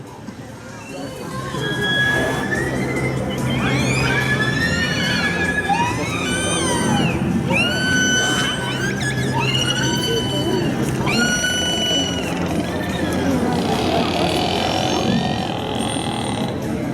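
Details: Killer whales at a SeaWorld San Diego show on 7 July 2015, played as an example of how they communicate: rising and falling whistled squeals, repeated in quick bursts over background music.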